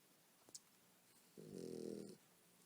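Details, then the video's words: Nursing mother dog asleep and snoring with puppies at her side: one long, rough, buzzing snore of nearly a second, preceded by a couple of soft clicks in a quiet indoor room. "Nursing puppies while Snoring"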